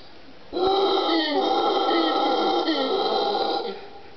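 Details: An Ecuadorian mantled howler monkey (Alouatta palliata aequatorialis) gives a loud, sustained, guttural howl of about three seconds; dry-forest ravine, Cerro Blanco Reserve near Guayaquil, late morning, 26 December 2014, several of 13 monkeys calling.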